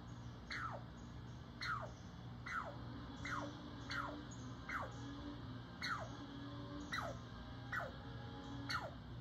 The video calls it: Squirrel Barking at Cat